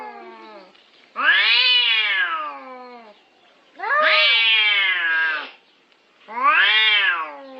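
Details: Cats caterwauling in a territorial fight, three drawn-out, harmonically rich howls that swell and fall in pitch, each lasting about one to two seconds, separated by quiet pauses.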